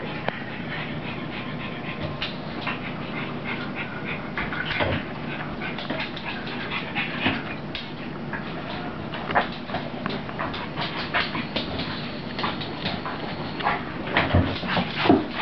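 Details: Puppy Rosie at play with her mother: irregular huffing pants and scuffling, with a few louder snorts near the end over a constant background hum.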